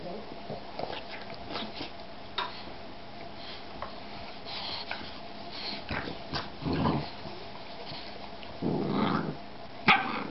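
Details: Boston bulldog crossed with shar-pei, a puppy playing, makes brief low growly rumbles near seven and nine seconds amid scrabbling and thumping sounds, with a sharp knock near the end and some quiet talking.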